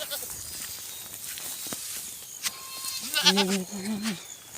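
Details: Herded goat in a countryside field calls with a low, wavering bleat lasting about a second and then a short second bleat. Quiet outdoor background with faint speech and rustling before the calls.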